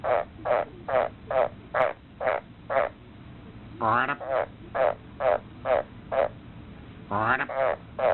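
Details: Frog giving a mating call: short throaty croaks repeated about twice a second in an even series, each slightly pulsed, with a few longer rasping notes mixed in and a steady background hiss.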